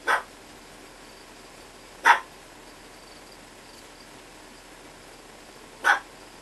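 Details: Three single sharp yaps from Lyovka, a Chihuahua puppy aged two months, spaced unevenly about two to four seconds apart, each brief and high, with only faint hiss between them.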